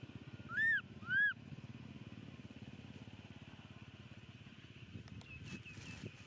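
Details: Momo, a baby monkey, cries on the rocks after his dad walks away. Two arched, whistled wails come in quick succession, then a steady low engine-like drone and a few faint clicks follow.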